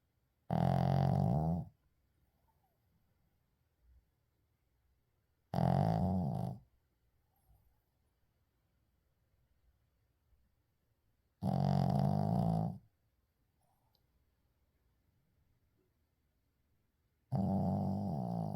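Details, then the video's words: Indoor recording of a sleeping Shih Tzu: four low, buzzing snores spaced roughly every six seconds, each about a second long, with near silence between them. "시츄 코골이"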